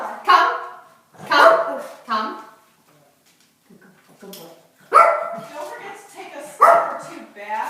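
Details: Tiny dog barking at the doorbell, aggressive toward visitors: four sharp, high yapping barks with abrupt onsets, two early and two later about two seconds apart, with a person talking in between.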